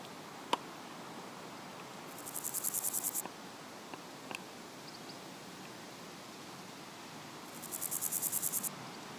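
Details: Meadow grasshopper (Chorthippus parallelus), song.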